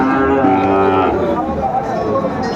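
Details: At a busy Comilla cattle market in Bangladesh on 13 August 2024, a Sahiwal bull calf gives a steady, deep moo lasting about a second, then fades into murmuring buyers and background crowd noise.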